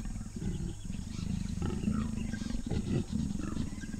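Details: Male and female leopards mating at the edge of sedge grass in Botswana's Moremi Game Reserve, an aggressive mating driven by the female; deep, rasping growls pulse continuously with short breaks, faint bird calls above.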